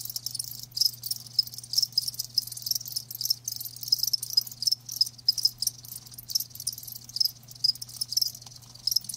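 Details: A chorus of live crickets gives rapid high chirps, dense pulsed trills with sharper individual chirp notes standing out irregularly, and a faint constant low hum.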